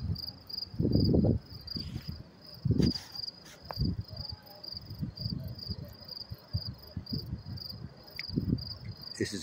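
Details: Crickets chirping up close in New York City near a train station around 10:30 p.m. on May 28, 2024: steady, high, evenly pulsed chirps about four per second over low city rumble, thumps and footsteps.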